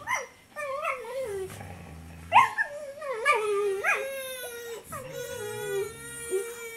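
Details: Siberian Husky, female, growling while guarding a bone from a German Shepherd puppy; wavering, moaning vocal growls that rise and fall in pitch, broken into several drawn-out grumbling phrases with short gaps between them.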